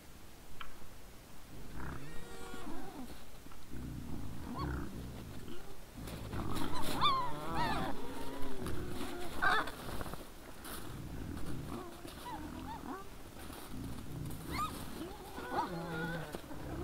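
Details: Wild boars at night before a trail camera, 17 December 2022 at 20:17: a busy run of deep, overlapping grunts, broken by sharp, wavering squeals around the middle and near the end.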